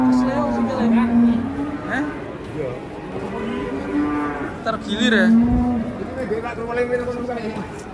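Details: Cattle being loaded onto a truck, lowing in repeated drawn-out moos with a steady low pitch and rich harmonics. A second, higher bellow overlaps near the middle, over outdoor background noise and faint voices.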